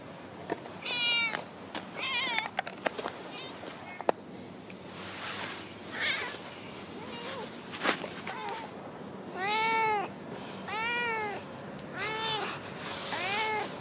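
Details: Chatty female stray cat in a park car park. Human talk and clicks come first, then four loud, arched meows arrive in a steady series over the last few seconds.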